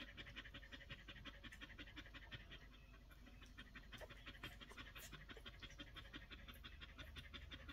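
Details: Panting of Collie pups aged one week: a dense run of quick breathy puffs, almost three each second, over a low rumbling background.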